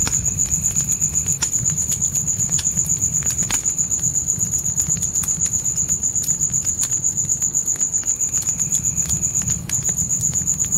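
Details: Crickets trilling at night in a dark forest: a piercing, finely pulsed note that holds steady, briefly dipping near the end, over crackling campfire pops and a low rumbling fire bed.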